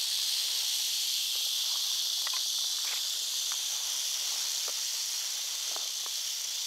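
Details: Rattling by an eastern diamondback rattlesnake in North Florida, a sustained bright hissing whir without pause, with scattered faint clicks and rustles in the background.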